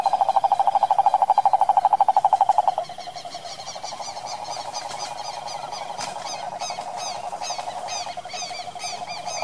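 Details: ['Wild cane toad from the Brazilian pantanal sertão: a loud, rapid pulsed trill for nearly three seconds, then softer continuous trilling overlaid by many short high chirps, probably other animals nearby.']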